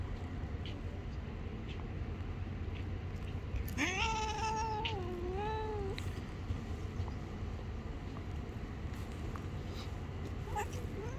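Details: Angry stray cat living on the street, bitten hand when touched; one long wavering, harmonic yowl lasting about two seconds, rising then dipping and swelling again, over steady low traffic-like rumble, otherwise quiet.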